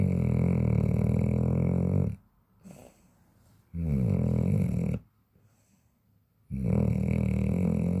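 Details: Chow Chow, a large dog, snoring while asleep: loud, deep, rasping snores lasting about two seconds each, separated by quiet gaps of roughly one and a half seconds, three snores in all.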